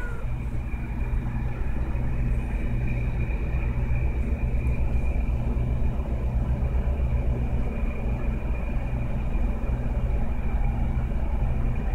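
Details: Continuous deep vehicle engine rumble with a steady hum throughout and no other clear sounds.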